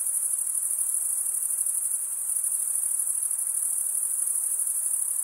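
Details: Steady shrill chirping of crickets, made by males running one wing's comb-like teeth across the other, fills the whole stretch as one bright, constant high trill.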